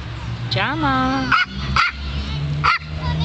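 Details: From a pair of Maltese pet dogs, a French bulldog and a small chihuahua wearing a tracksuit: three sharp, clipped yapping barks spaced under a second apart, following a long wavering voiced sound, over a steady low hum.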